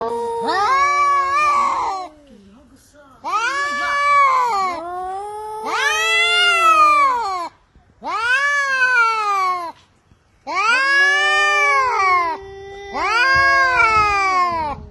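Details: Cats crying, six long drawn-out wailing meows with rich harmonics, each rising then falling in pitch and lasting one to two seconds, separated by brief pauses.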